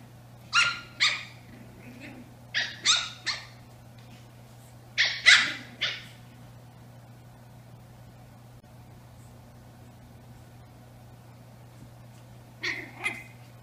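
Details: Playing Brussels Griffon twin sisters, eight weeks old: shrill puppy yaps in three tight clusters over six seconds, then quiet before two more yips near the end, with a constant low hum in the room.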